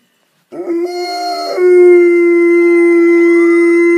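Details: Dog howling along to a fire truck siren played on an iPad: a wavering, broken howl, then a long, steady, loud held tone with strong overtones that sustains to the end.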